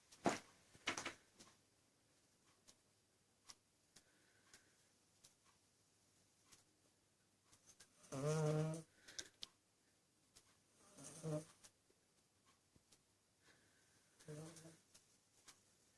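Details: Shah, a pet cat, snoring while asleep, loud enough to wake a person indoors; three short, nasal, harmonic snores come roughly three seconds apart late on, with scattered clicks and soft rustles in a small room.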